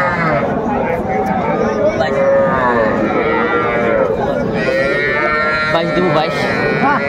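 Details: Cattle at a market in Faridpur on 4 September 2024, where farmers buy small young bulls and heifer calves: drawn-out lowing moos, several overlapping, over steady crowd chatter and bargaining voices.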